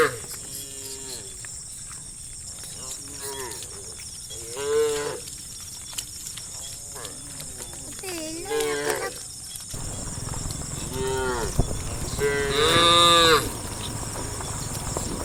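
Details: Dozens of tame cows running and jumping down a hillside in a line, mooing repeatedly: several overlapping drawn-out moos that rise and bend in pitch, spaced a few seconds apart, with the loudest near the end, over a constant high hiss.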